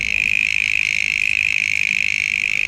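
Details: Many mole crickets calling from wooded areas, heard through a car window while driving: a dense, steady high-pitched trill that runs unbroken throughout, as if countless insects are singing at once.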